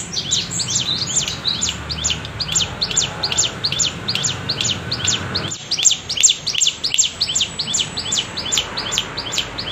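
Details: Cicada giving the wavy bren cigun sound, used as tutor material for songbirds; dense series of high falling chirps, roughly two or three per second, over faint low hum.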